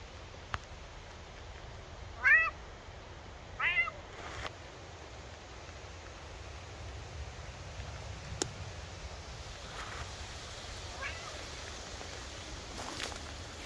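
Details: Maine Coon cat Buster, outdoors in a forest on a late-summer day while searching for chanterelle mushrooms, gives two short rising-falling meows close together, then stays quiet amid faint rustling and a few soft clicks.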